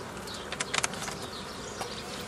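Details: Honey bee colony drone as nuclei are split off a forager swarm in the traditional manner, 15 May 2018; steady buzzing under a quick cluster of clicking, clattering knocks from frames being handled.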